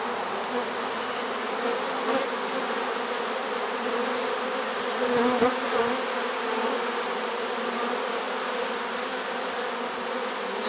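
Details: Honey bee swarm caught in a swarm trap on 1 September 2019, late in the season: a dense, steady droning hum from many bees with a low fundamental and broad hiss above, continuous throughout and level, with a brief soft disturbance midway.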